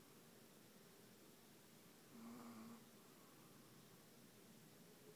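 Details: Ava the dog snoring indoors: one soft, wheezy snore lasting under a second, with a faint whistled tone inside it, over steady background hiss.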